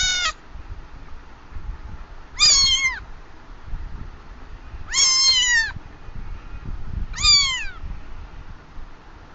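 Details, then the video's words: Cat meowing four times at intervals of about two and a half seconds, each call short and bright with a brief rise and a falling end, over a low background rumble. "Cat for Sound Effect"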